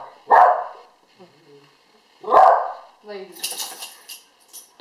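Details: A 1-year-old Alaskan Malamute at the end of a sneezing fit gives two sudden, explosive sneezes about two seconds apart, with people talking in between.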